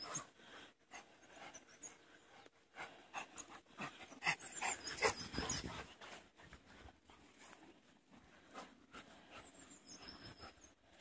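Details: Outdoors, four Labrador Retriever puppies give fast, uneven, noisy panting breaths that swell to a louder burst near the middle. Thin high chirping sounds are heard late in the recording.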